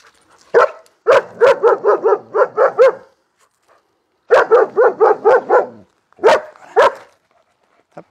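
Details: Arthur, a nervous German Shepherd, barks at people in long rapid bursts of evenly spaced barks, roughly two a second, with short gaps between bursts and a couple of separate single barks near the end.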